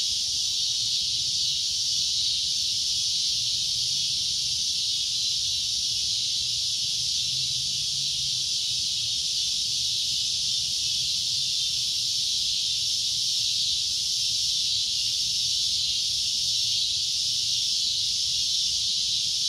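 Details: Steady, piercing cicada drone running without a break, a dense hissing buzz at constant loudness, faint low rumble in the background.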